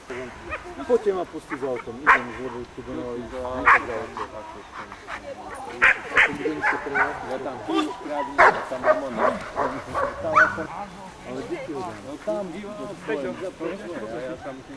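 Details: Amos, a black Giant Schnauzer, barks repeatedly in clipped bursts, a dozen or so spread over fifteen seconds, mixed with steady Polish speech from a person nearby.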